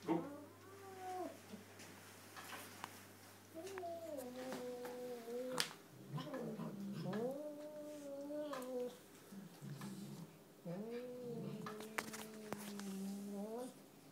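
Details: Chocolate point Burmese cat, cross-eyed, indoors, making odd moaning calls while eating: a series of wavering, rising-then-falling harmonic cries, several seconds apart, mixed with sharp clicks and chewing sounds and a steady low hum.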